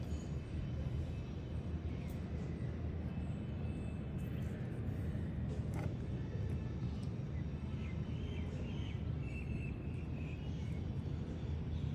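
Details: A steady low rumble of outdoor background noise, like distant traffic, runs throughout. No clear animal voice stands out.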